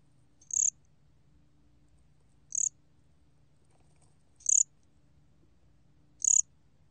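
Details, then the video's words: Cricket, the Korean 곰귀뚜라미, calling: short, bright, high chirps spaced about two seconds apart, four in a row, each a brief buzzy burst over a quiet low hum in the background. "곰귀뚜라미, 여러번 듣기, 곤충소리"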